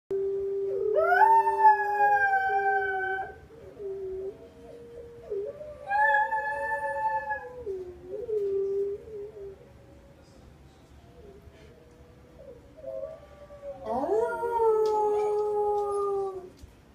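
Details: Baby Miniature Schnauzer howling at night under a full moon: three long drawn-out howls, each rising then holding a steady wavering tone before sliding down, separated by softer low whining between bursts.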